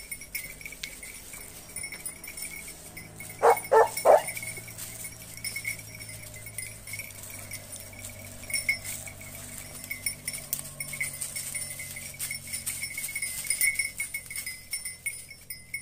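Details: Italian hounds (Segugio Italiano) training on hare give a quick burst of three sharp barks near the start, then quiet with a continuous high droning and faint rustling behind.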